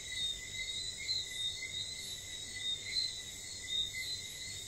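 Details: St. Lucia night chorus where whistling frogs give brief, high whistled chirps at irregular intervals, layered over constant insect trilling in several high bands.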